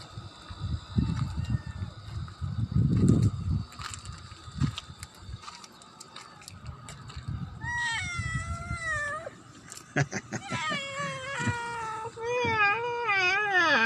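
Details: Pet cat meowing: after several seconds of low rumbling noise, a drawn-out falling meow, then a run of shorter wavering meows that rise and fall, with faint clicks in the background.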